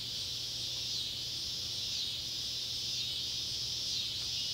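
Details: Neotibicen pruinosus and Neotibicen tibicen cicadas by an old tobacco barn in Ballard County, Kentucky, at sunset on July 31, 2013; a shrill buzzing drone rises and falls in waves roughly once a second over a quiet low hum.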